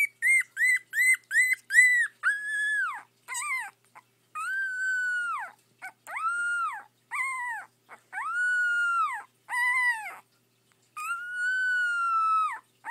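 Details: Two pet puppies indoors, one howling: a run of short high yelps, then long sustained tonal howls with flat tops and falling ends, repeated with brief pauses, strongly harmonic and clear.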